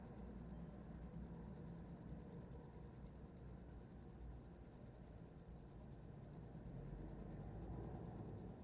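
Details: Uninterrupted shrill cricket chirping, quick evenly spaced high pulses running the whole length, with a faint low hum underneath.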